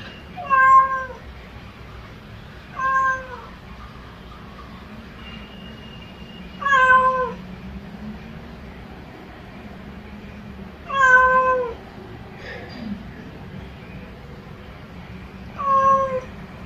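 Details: House cat meowing to call its owner: five separate, short, clear meows, each slightly falling, spaced roughly two to four seconds apart with quiet gaps between them, and faint low background hum.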